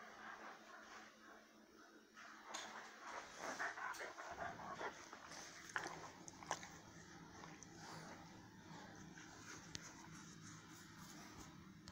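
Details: Faint, noisy recording of a dog with scattered whimpering and bark-like bursts, strongest between 3 and 5 seconds, over a steady background hum and hiss.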